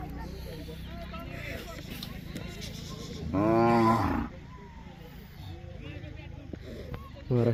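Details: A single full, rounded moo about one second long from a line of Mysore/Khillar calves in Maharashtra, India, rising out of steady crowd and outdoor noise, with a brief start of another call at the end.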